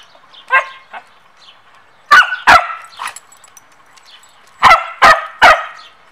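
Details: Samoyed dogs at training time, one bothering the other: sharp, loud barks in two bursts of two or three, with softer yips and faint voices between.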